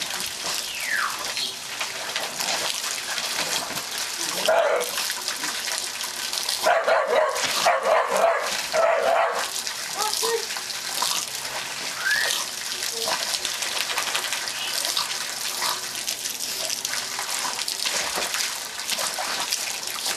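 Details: Sookie, an English Bull Terrier who loves water from the hose, plays with the spray; loud hiss of running water fills the recording, broken by a run of quick excited barks and yelps around the middle, with a human voice briefly heard.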